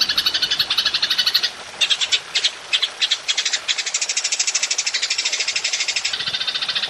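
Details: Golden grasshopper call for songbird training: a bright, high, rapidly pulsed buzz that stops briefly, then resumes as choppy bursts of clicks and finally a regular quick ticking rattle.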